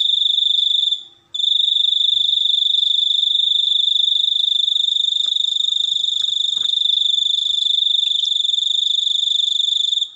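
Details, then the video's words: Cricket producing a continuous piercing trill of very rapid pulses. It pauses once early on, then runs unbroken, with a few faint clicks and knocks in the background. "suara jangkrik super unik"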